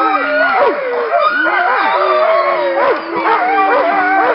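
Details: Alaskan Malamutes of Nordiclight howl in unison on a little run, February 2012. A steady deep howl persists throughout, overlaid by many higher sliding, quavering howls and short yelps from a crowd of dogs.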